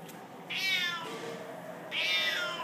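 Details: Siamese cat, one of several cats needing rescue, giving two drawn-out, high meows that start bright and slide downward, about a second and a half apart, in a quiet room; a person says hello afterward.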